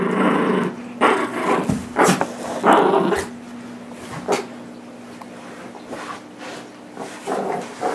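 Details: Nibbler, a nine-month-old blue Doberman Pinscher, tugging a toy against Biscuit, a 6 lb miniature Shorkie, inside a home; rough growling in the first three seconds, then scattered huffs and clicks over a faint constant hum.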